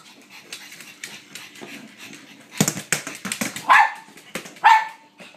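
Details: Blind female pug waiting to play fetch indoors as a woman asks whether she is ready; clattering play noise, then two loud excited barks near the end.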